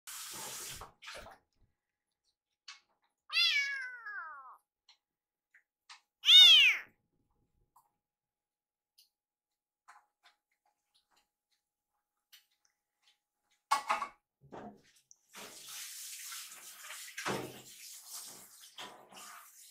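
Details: Rescued kitten in a kitchen meowing at its caretaker while food is prepared, urging her to hurry: two drawn-out, harmonic meows with falling pitch, separated by quiet, then clattering and rustling household noise.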